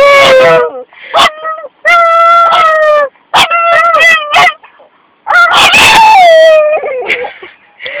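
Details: Half-pug, half-Boston terrier cross letting out wolf-like howls for no apparent reason, in short bursts of clear, sustained tones broken by quick gasps, yips and pauses, ending on a long sliding howl.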